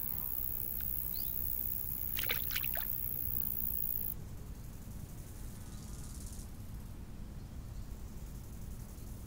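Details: High, continuous cricket chirping by a summer lake runs for about four seconds and then stops, with a brief buzzing insect pass and a faint bird note early on, over a low wind rush.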